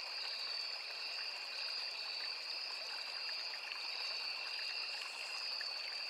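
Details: A forest by a small river with crickets calling nonstop: two shrill, even trill bands hold without pause, the upper one faintly pulsing, while gentle stream water trickles and hisses underneath.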